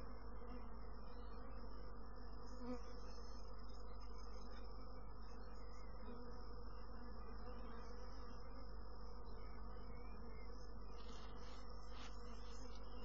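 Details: Honey bees humming loudly and without pause, a thick low drone with rich overtones, steady throughout, with light crackles near the end.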